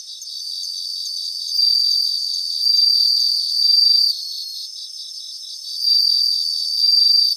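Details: Grassland chorus of bell crickets, where high bell-like ringing trills swell up in bursts of about a second and a half, alternating with quieter stretches filled by a steady, rapid pulsed chirping.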